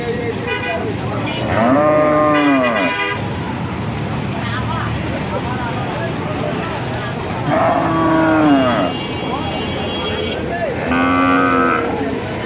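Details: Cattle at the Kuchia Mara cattle and goat market, 26/5/2026: three drawn-out, arched lowing calls near two, eight and eleven seconds, set against steady crowd chatter, voices and passing vehicle noise.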